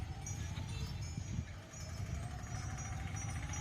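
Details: Soft music with chime-like tones over a low rumble, and no animal sound at all.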